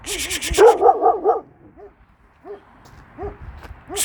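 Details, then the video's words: Kangal named Nazo barking in reaction to a strange female dog up the hill, a stray probably abandoned by its owner; a fast burst of harsh barks, then spaced, higher arched yelps from another dog. "KANGAL NAZO'NUN YABANCI KÖPEĞE TEPKİSİ"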